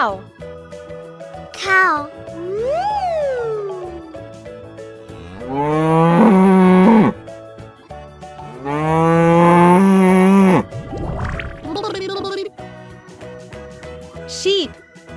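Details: Cow lowing: two long, deep, drawn-out moos of about two seconds each, amid children's music with sliding whistle-like tones and short effects between them.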